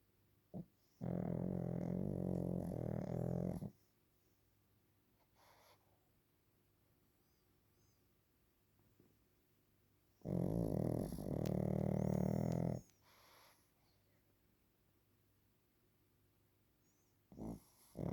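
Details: Napping Pekingese named Waffle gives two long, harsh, rumbling snores, each about two and a half seconds, separated by roughly seven seconds of quiet breathing.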